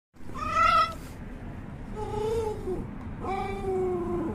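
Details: Shiba Inu dog barking because it wants to eat; three drawn-out, whining tonal yelps, the first short and high, the next two lower and longer, over a steady low background hum.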